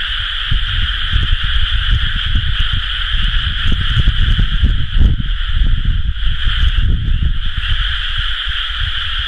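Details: A dense frog chorus from rice paddies in Japan at rice-planting season, recorded 30 May 2011: many voices merging into a steady, high, trilling drone.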